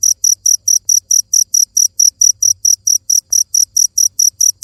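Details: Insistent high chirps from a cricket, evenly spaced at roughly four per second, with a soft low hum in the background.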